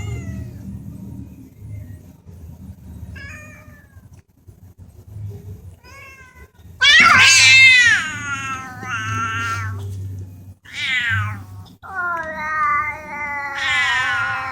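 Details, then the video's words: Domestic cats talking: after quiet low rumbling, a loud drawn-out wavering meow, then several shorter rising and falling meows in a chattering, conversational run. "Talking cats"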